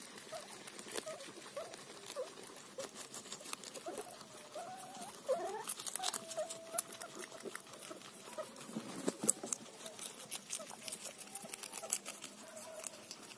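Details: A guinea pig eating a cauliflower leaf: steady crisp crunching and nibbling clicks throughout, with faint short tonal squeaks slipping in midway.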